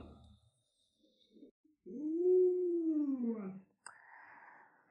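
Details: Pet Alaskan Malamute at home with a small child, giving one smooth arching howl of under two seconds that rises then falls, followed by a short burst of noise and soft household sounds; quiet speech before.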